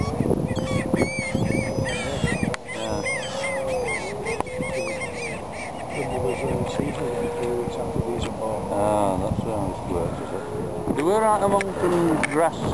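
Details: Seals with pups at Donna Nook Nature Reserve, Lincolnshire, on 19 November, in a colony of hundreds including bulls and newborn pups; wavering, moaning tonal calls rich in harmonics rise and fall over steady people talking and wind.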